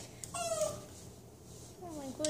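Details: Toy Manchester Terrier named Mindy whines while getting a back rub indoors, first a short level whine, then after a pause a longer whine sliding downward in pitch, over a quiet background hum.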